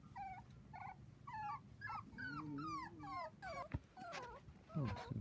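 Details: On a trampoline with children, 4-week-old Dachshund puppies give a run of short, falling, high-pitched whimpers, about two per second, with a low human murmur and a brief thump beneath.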